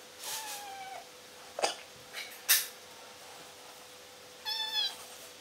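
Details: A kitten meows twice: a long, level cry near the start and a shorter, higher harmonic cry near the end, with a few clicks and knocks between and a faint steady hum throughout.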